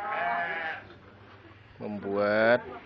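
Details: Farm cattle at a weighing session, after 204 days of fattening for Qurban, when the animals are sometimes stressed; a short, loud, low and steady bellow after an earlier fainter call, with speech nearby.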